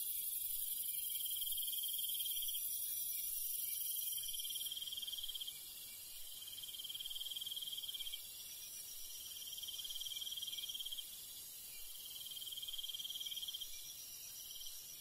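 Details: Night-time crickets in rural countryside, repeated pulsed trills of about two seconds each, alternating with short pauses, set against a constant shrill background of many insects.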